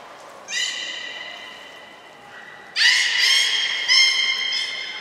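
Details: Captive belugas Hodoi, Taanya and Mirai during a training session at Port of Nagoya Public Aquarium, Japan, 1 November 2020; two bouts of bright, harmonic squealing calls, the first steady and the second louder and richer, with a brief later accent.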